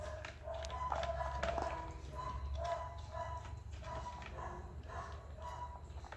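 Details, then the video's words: Persian kitten, hungry, giving quick bursts of thin harmonic meows in close succession, some slightly drawn out, with a constant low background hum. "Cute Persian kitten is hungry"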